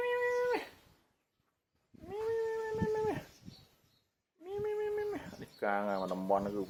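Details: A hungry male cat about three years old, said to be the biggest and oldest in the village, meows three times in a row, each call long and level, before a man starts speaking.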